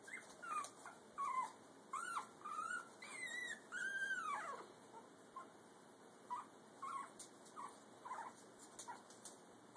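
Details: Brussels Griffon puppy taking its first steps while both parent dogs watch nearby; thin, high whimpers and squeaky whines, some sliding downward, come in uneven bursts over a faint steady background hum.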